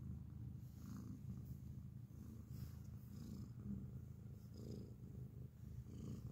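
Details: Loud close-up purring from a grey cat, a steady deep vibrating rumble that pulses gently with each breath, with no other sounds intruding.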